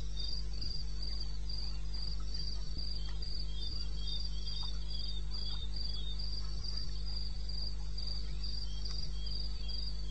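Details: Unedited night recording of a cricket in eastern Botswana wilderness, 2:30 AM on 21 May 2016: shrill chirps pulsing steadily about three times a second, a softer second caller, and a persistent low drone.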